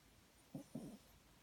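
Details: Papillon dog dozing in an unusual sleeping position lets out two quick low snorting snores, the second slightly longer and rougher, in a quiet room.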